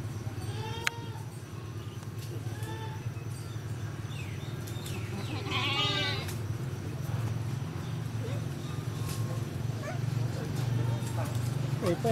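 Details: Goat giving birth on a cow farm, newborn kid present; a few wavering harmonic bleats, one near the start and a strained rising one midway, over a steady low engine-like hum.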